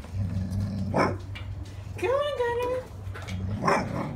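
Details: Golden Retriever puppy trying to bring a stick into the house, letting out one high whimpering whine that bends up then slides down, amid human voices and household noise.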